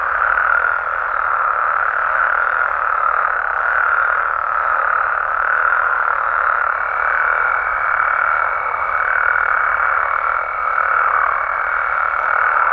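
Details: Mexican frogs and toads after dark keep up a thick, steady wall of croaking calls; partway through, a thin sustained higher note joins the unchanging mid-range chorus.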